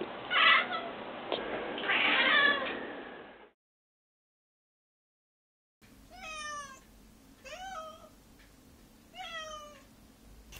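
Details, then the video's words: Domestic cat, one of a trio of pets with individually different voices, meowing; a muffled louder stretch gives way after silence to three clear, short downward-sliding meows spaced about a second and a half apart. "Every Cat has a Different Meowing Voice"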